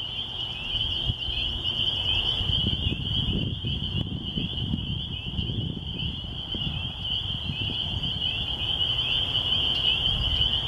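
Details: Massed spring peepers in rural surroundings by a church in spring keep up a continuous piercing peeping chorus for the whole stretch, with soft low wind noise underneath.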